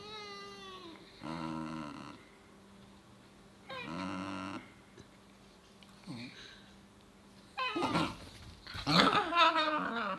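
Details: Two Basenji siblings tussling over one's tail: drawn-out, harmonic growling whines around the first and fourth seconds, a falling whine at the start, then louder rising squeals and yelps at the end, followed by a person laughing.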